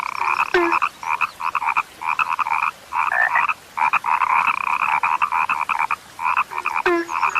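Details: Frogs, called now scarce, croaking in rhythmic clusters of buzzy pulses with short gaps between them, opening and closing with a sharp click followed by a low descending croak.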